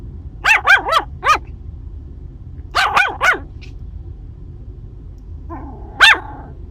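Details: Female Maltese puppy, seven weeks old, met on a camping trip in Arizona, gives high, sharp yapping barks: a quick run of four, then three more, then a lone yip after a pause, with quiet room noise between.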